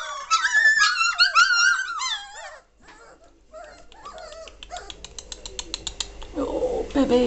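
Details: Three-week-old German Shorthaired Pointer puppies from the 2014 litter, 22 May 2014, growing lively and noisy: a burst of high, bending whines and squeals for two seconds, then quieter scattered yelps and a low human voice near the end.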